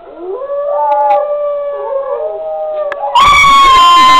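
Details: High-content wolfdog pup, six weeks old, howling: one long, clear, wavering howl that starts low, climbs, holds a steady tone, then jumps higher and grows much louder and harsher near the end.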